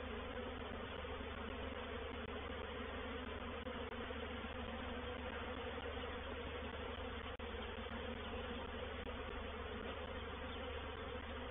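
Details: At Painted Peacock Manor on 04/07/21, a reproductive swarm of honey bees moves into a bait hive with an unbroken, even roar of wingbeats. A single sharp click falls midway.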